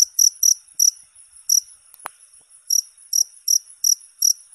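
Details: Cricket giving short high chirps in irregular bursts, two quick pulses, then a pause with a faint click, then a run of evenly spaced chirps.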